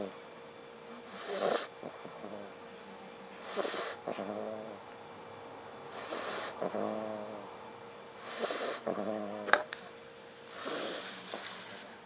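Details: Sleeping dog named Derek snores steadily indoors, each breath a grumbling, vibrating rasp with a faint whistle, spaced about every two to three seconds, with hushed room noise between breaths.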